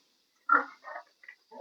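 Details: Domestic sow that is not coming into heat: a louder harsh grunt, then two or three shorter, softer grunts in quick succession, each one brief and nasal.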